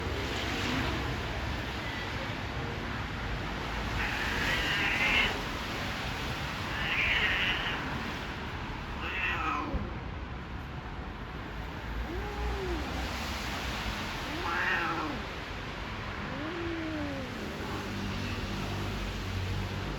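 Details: Stray cats mating in a garden; drawn-out wailing caterwauls rise and fall in arching tones, repeated every few seconds, with harsher yowls early on and a steady background hiss.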